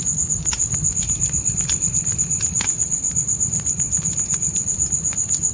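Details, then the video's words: Night crickets in a dark forest beside a campfire in a tent: a high, thin, steady trill pulsing about four times a second, with sharp crackles and pops of fire and a soft low rumble underneath. "Fire & Crickets Night Ambience"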